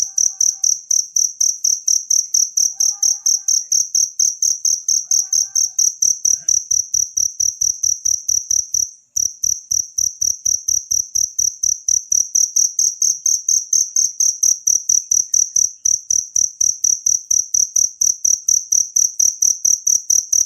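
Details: A wild cricket, used to tutor cage songbirds, trills in dense, high, metallic chirps about twice per second for the whole stretch. There is one momentary dropout partway and a few faint low sounds early on.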